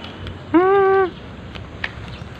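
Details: Bernie, a rescue cat, gives a single clear meow of about half a second, steady and slightly falling at the end, against quiet background noise.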